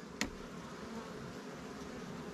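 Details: Low, even buzz of honey bees around an open hive during a frame inspection in an apiary with Langstroth and Warre swarm hives, broken by one sharp click near the start.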